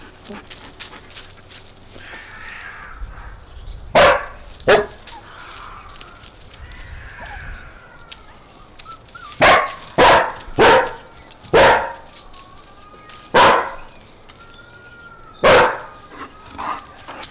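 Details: Puppies with Bek on a sunny day outdoors: sharp, high barks spaced several seconds apart, first a pair, then a run of six or seven yaps, with faint whines between them.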